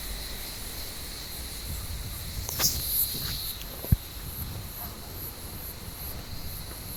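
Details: On a warm evening, cicadas in an olive tree drone in a constant high shrill while blind cats climb the branches to hunt them; a few sharp knocks and rustles cut through the buzzing.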